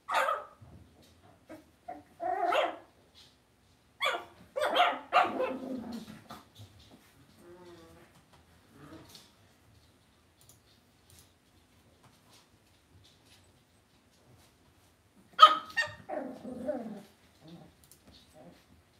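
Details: Cavalier King Charles Spaniel puppies in a home puppy pen bark and yap in short, clustered bursts, with a long quiet gap before a final loud flurry of yaps.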